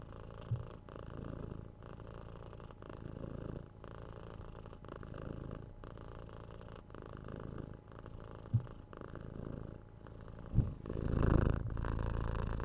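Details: Cat purring at close range, a low rumbling drone pulsing in regular breath cycles, with a couple of sharp taps near the end and a louder swell of rustling.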